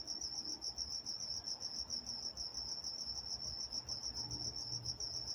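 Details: Walnut, California crickets at night: shrill pulsed chirping continues without pause while faint low tones come and go underneath.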